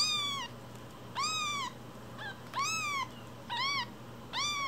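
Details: Tiny rescued kittens only a week old, Cookie and Nan, mewing in a small room: five thin, bowed cries, each under half a second, coming roughly every second, with a faint shorter squeak between.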